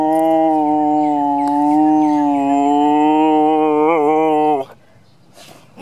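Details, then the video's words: Kojak, a pet dog, holds one long, steady, rich howl for over four seconds, wavering in pitch near the end before it breaks off, followed by near quiet and a person asking him to be louder. "Kojak howling"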